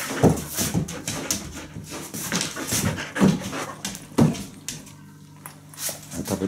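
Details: Labradoodle indoors while eating, panting in soft breathy bursts with a few faint whimper-like notes, mixed with sharp clicks and clatter from the food bowl in a small room.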